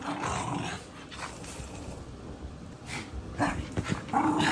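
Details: Puppy growling indoors, a rough, noisy rumble running through the whole stretch with a few sharper yips near the end.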